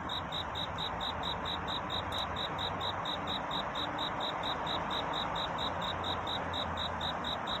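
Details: Night-time cricket courtship song near dawn. Crisp, high-pitched pulses repeat at a fast, unbroken, metronome-like pace above a constant rushing background hiss.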